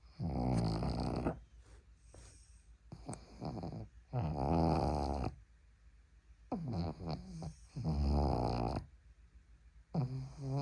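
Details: Sleeping on an arm, a pug gives heavy, rattling snores lasting over a second, repeated every few seconds, with thin squeaky wheezes and quiet breathing in the gaps.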